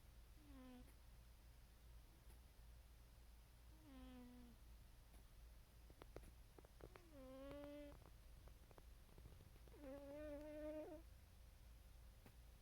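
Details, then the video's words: Pet cat dreaming and snoring while asleep: four soft, tonal mewing whimpers spread across the stretch, each lasting under a second, the later ones longer and slightly wavering, over a low steady indoor hum. "our cat is dreaming and snoring"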